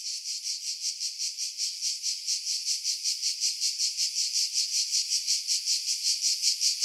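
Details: Cicadas singing in pine trees about 50 m above the sea at Pefkos Bay, Skiros Island, Greece, in July 2018; a dense high buzzing pulsed about two to three times a second, with wind noise filtered out.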